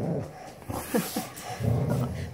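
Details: Standard Poodles, three breeding females and a dog named Onyx, playing together; a few short rising whines around the middle, with soft human voices and handling noise behind.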